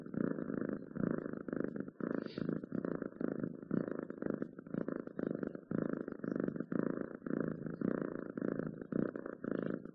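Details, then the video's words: Domestic cat purring steadily, a low rumbling pulsed rapidly and evenly throughout, with a faint brief higher sound near the middle. "Cats Purring"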